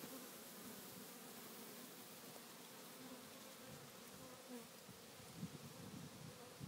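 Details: A dense, steady hum of many African honey bees in a swarm that fell to the ground from its own weight, buzzing together as they cluster to hide and protect the queen.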